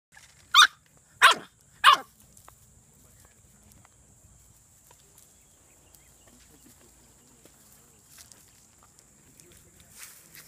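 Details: English Bulldog. Three loud, harsh barks from an English Bulldog come about two-thirds of a second apart at the start. A faint steady hiss and a few soft thumps fill the quiet remainder.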